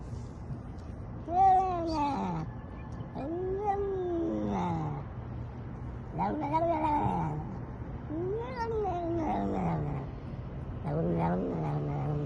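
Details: Domestic cat meowing repeatedly, about five arched, wavering meows rising then falling in pitch, each roughly a second long with pauses between, over a steady low hum.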